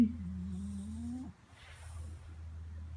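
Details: French Bulldog named Louie, pestered by his owner while trying to sleep, lets out a sustained low groaning whine that dips, then climbs gradually for over a second before stopping abruptly; a low steady hum continues afterward.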